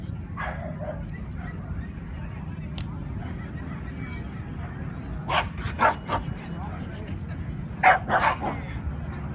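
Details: Scottish Terrier at the Scottish Terrier Club of California Specialty show, Best of Breed competition 2015: two short clusters of sharp, repeated barks midway and near the end, over steady crowd chatter and a low indoor rumble.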